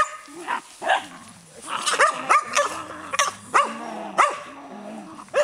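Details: Skye Terrier giving a run of short, sharp barks, some in quick pairs, spaced roughly every half second to second, with people talking in the background.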